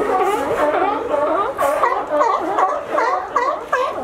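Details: Several sea lions at a California dock, having climbed a fence to reach it, calling in overlapping, wavering barks that run together into a continuous honking clamour.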